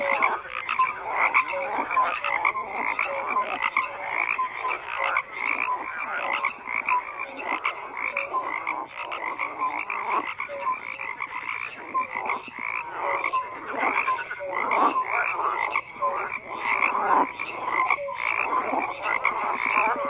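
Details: A long stretch of many frogs croaking together, dense raspy pulses and scattered tonal notes overlapping continuously with no pauses or other clear sounds.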